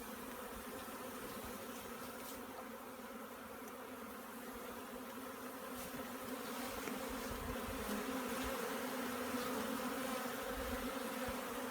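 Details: Swarm of honey bees during collection, a continuous full buzzing drone with layered humming tones, growing louder toward the end, with soft knocks underneath.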